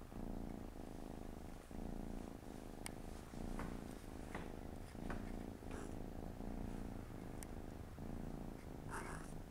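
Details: Siamese cats, mother and four kittens together on a Saturday afternoon; steady rhythmic purr, low rumbling pulses repeating roughly each second, with scattered small clicks and a soft rustle near the end.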